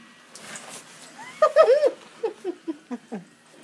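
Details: Scarlett, a Yorkshire Terrier, frightened by an inflatable Christmas penguin: a burst of high, wavering whiny yelps, then five short sharp barks spaced about a quarter second apart, with faint indoor background noise.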